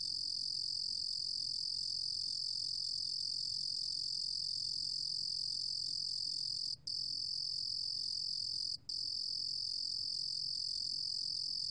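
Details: High, buzzing, unbroken trill of a Ruru-gom cricket (루루곰귀뚜라미), from a 2020 National Institute of Biological Resources recording in Korea, interrupted by just two split-second breaks.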